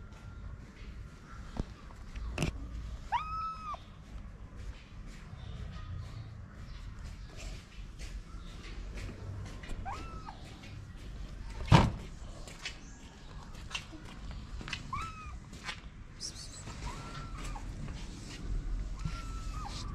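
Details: Stray female kitten on a Moroccan street, climbing onto the lap of the person who feeds her, meows five or six times, each a short arched wail spaced several seconds apart, amid rustling, handling noises and a couple of sharp knocks.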